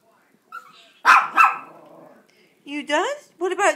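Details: Pet Chihuahuas begging for a treat by singing; after a faint whimper, two quick high barks in succession, followed by a woman's coaxing voice asking what they want.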